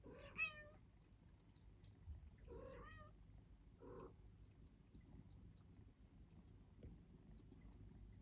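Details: Turkish Angora kittens at feeding time give three meows: a high, wavering cry early on, a longer quavering meow near the middle, then a short, lower one, followed by quiet with a steady low hum underneath.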